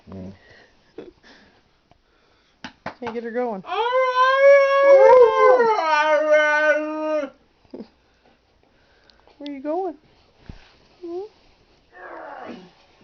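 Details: Twelve-week-old female Alaskan Husky pup howling along with older dogs: one long, rising then wavering howl near four seconds, followed by short yelps and a person talking quietly nearby.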